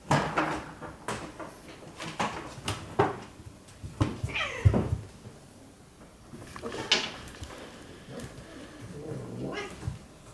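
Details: Siamese cat; fighting yowls; aggression during a fight between cats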